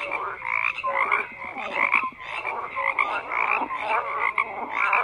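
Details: A frog chorus of overlapping rasping croaks and quick pulsed notes, a few short downward tonal calls standing out, steady without pauses, nothing else heard.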